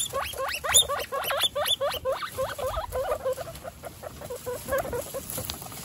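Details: Week-old guinea pig babies squeal in a fast run of rising, hooked squeaks, about four each second, dense at first and thinning toward the end, over light rustling and shuffling.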